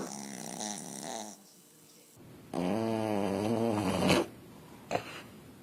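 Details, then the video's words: Sleeping dog snoring indoors: a long, loud, wavering rasp with a buzzy, tonal edge lasting about a second and a half, then quiet breathing and a short snort. "A snoring dog"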